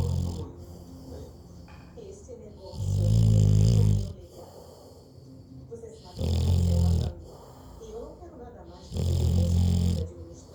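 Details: Labrador Retriever snoring: deep, low rumbling snores about every three seconds, each lasting roughly a second, with faint breathing between and a quiet background.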